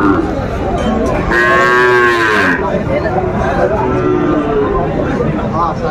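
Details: Sahiwal cattle, young bulls and calves at a cattle market in Faridpur, Bangladesh, on a Tuesday: a loud, drawn-out harmonic moo rising then falling, with market crowd chatter and voices throughout.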